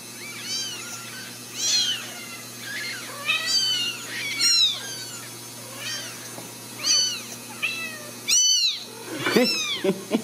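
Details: Several Ragdoll kittens from a home cattery in central Kansas, raised without cages, meow in overlapping bursts. The high, arched cries come every second or so at varied pitches, building to a denser, louder cluster near the end.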